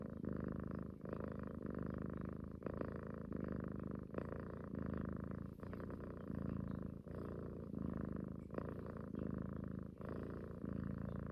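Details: She-cat cuddled up at morning or night, purring like a snore; a rich low rumbling drone rising and falling with each breath, steady over eleven seconds.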